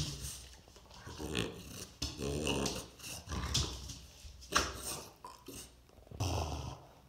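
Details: A French Bulldog named Oleg gives low, rumbling growls and snorts in bursts while tussling to grab a ball.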